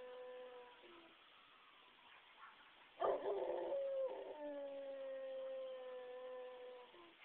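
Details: Dog howling at sirens: a long sustained tonal howl with layered harmonics, a low start then a loud rising burst near three seconds, held and slowly falling, with soft background hum.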